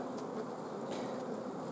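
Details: Honey bee colony at an apiary on 14 June 2016, its queen blocked from laying for lack of forage and nectar flow: a dense, steady, low droning hum from many bees with faint brief higher flickers.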